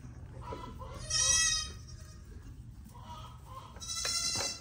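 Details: Registered pygmy goats at a Knoxville, Tennessee farm as new babies join the herd: two loud, nasal, quavering bleats about three seconds apart, with softer lower calls between them over faint background noise.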